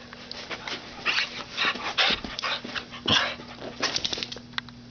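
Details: Siberian Husky barking: a dense run of short, harsh, broadband vocal bursts, some drawn out and whiny, repeated irregularly over five seconds above a steady low electrical hum.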